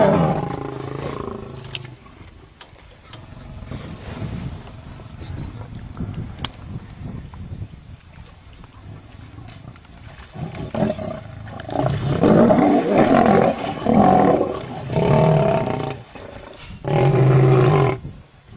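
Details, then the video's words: Fighting lions: a quiet stretch with low rumble, then a run of loud, harsh, broad snarls and growls in quick uneven bursts during the second half, with a final long loud growl. "lions Fight"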